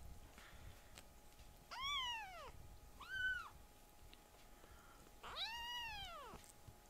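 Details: Rescued baby kittens calling loudly indoors while playing roughly, startling the older male cats: three high arching meows, each rising then falling, the last one longest, over a faint steady hum.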